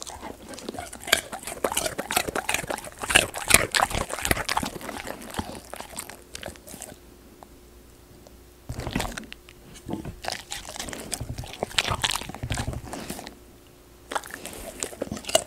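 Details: A Golden Retriever eats raw sweet potato, chewing noisily with wet, crunchy bites and smacking in quick irregular bursts.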